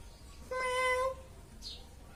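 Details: Pet cat uttering one steady, clear meow lasting under a second, richly harmonic and level in pitch, followed by a faint short squeak and room quiet.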